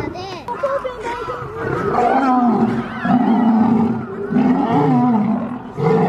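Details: Two lions fighting, giving harsh, rasping growls and roars in rough, uneven bursts, each rising and falling, with brief pauses between snarls and a short sharp snarl at the end.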